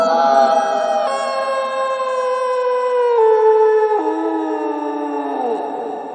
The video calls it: wolf howling sound HQ